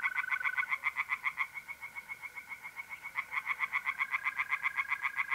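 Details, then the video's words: Pond tree frogs calling by night in mid-April in north-east Italy, an unbroken series of quick, rhythmic croaks about four a second, dipping briefly in loudness midway, with a mole cricket's steady trill running underneath. "singing tree frogs in pond and trilling mole crickets by night"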